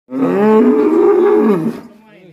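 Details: Black cattle, said to be raging, from Alas Purwo village: one loud, sustained, harmonic moo of under two seconds, steady in pitch, then falling away into quiet background.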